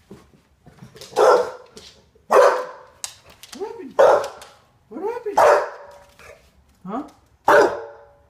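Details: English Bulldog wanting to pee gives loud harsh barks with short rising whiny yelps between them, about six outbursts over the stretch, while a person talks nearby.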